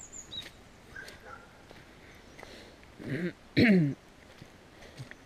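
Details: Dog barking at the edge of a village at the start of a climb, filmed on a GoPro Hero: two loud, harsh barks close together near the middle, with faint rural background noise and scattered bird chirps.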